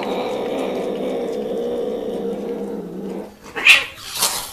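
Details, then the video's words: Mating domestic cats make an odd, strange-sounding call: a long low harmonic growling moan runs steadily for about three seconds, then fades, and two brief sharp higher cries break out near the end. "Kucing Kawin Bersuara Aneh"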